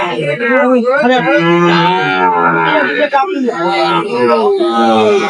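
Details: Sahiwal bull calves at a cattle market where a farmer from Chittagong, Bangladesh, buys them, recorded 23 May 2025; drawn-out, wavering low moos overlap with steady voices of people bargaining nearby.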